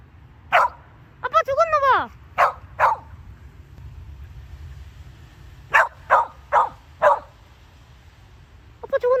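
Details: Gyeoul, a pet Samoyed in the first snow of 2020, reacts as the owners fake fainting. Sharp single barks ring out in scattered groups, with one sliding, whining yelp early on and people speaking.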